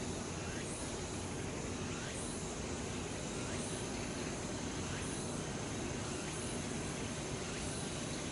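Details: Late-summer cicadas singing together in the woods of Changgyeonggung Palace, Seoul, South Korea: a dense, steady hiss fills the air, with faint pulses at regular intervals high above and a low rumble underneath.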